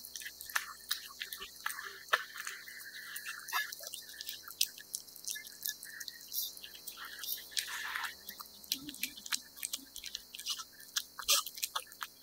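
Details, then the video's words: Cat eating wet food indoors: a dense, steady run of wet smacking and sticky clicking chews, with frequent short slurps and licks and no other clear sounds. "貓貓吞吃天地：貓吃濕糧聲音 CAT EATING SOUND"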